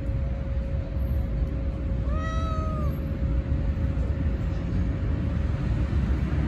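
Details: A single short meow from a stray cat, slightly arched in pitch and under a second long, set against continuous low-pitched background rumble from an urban outdoor setting.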